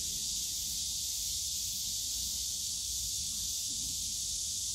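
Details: Summer cicada chorus from a bamboo grove in Yongsan Family Park, one steady shrill hissing drone with no breaks, over a soft low rumble of park noise.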